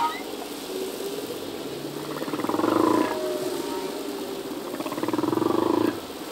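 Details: Singing male humpback whale in the ocean: soft pulsed moans swelling twice over a hissy underwater background, with faint higher tonal whines between.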